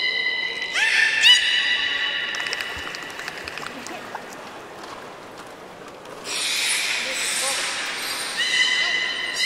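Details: Belugas at Port of Nagoya Public Aquarium, leftover-fish feeding time, 13 May 2017: a bright harmonic whistle near one second, faint clicks through the middle, then a broad noisy burst from about six seconds ending in further steady whistles.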